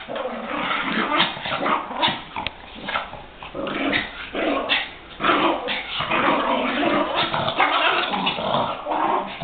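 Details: Chihuahuas in a rough tussle, playing or fighting, one of them growling: dense, gravelly growls and snarls with sharp yapping barks mixed in, swelling and fading in waves throughout.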